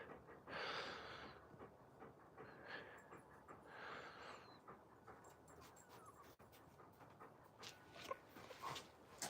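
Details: Alaskan Malamutes playing outside, heard panting in two breathy, rasping bursts near the start, followed by quieter snuffling and scattered faint outdoor noises.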